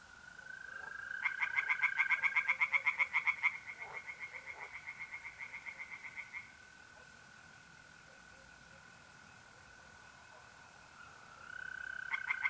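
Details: Night pond in north-eastern Italy in mid-April: tree frogs give a burst of fast pulsed croaks that fades over several seconds, leaving a long unbroken mole cricket trill before the frogs start again.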